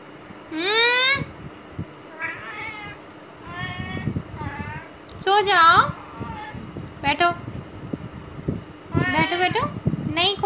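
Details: Caged female domestic cat, 17 days after neutering, restless and not sitting still as told; loud drawn-out meows, some sliding upward, arriving in uneven clusters, with soft Hindi speech and background noise.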